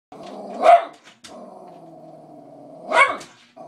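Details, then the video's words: Cavalier King Charles Spaniel, a pet dog disapproving of two cats, gives a sharp bark, then a long low rumbling growl, then another bark. "Chester the Cavalier King Charles does NOT approve of Maru or Hana"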